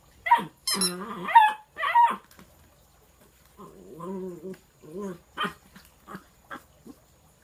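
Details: Bluetick Coonhound puppy, 12 weeks old, from Polk City, Florida, encountering an opossum and a frog; a few loud harsh barks up front, then a string of shorter lower yelps and grumbles spaced unevenly over several seconds.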